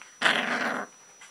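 An Alaskan Malamute puppy gives a short, rough, broadband growling call lasting under a second.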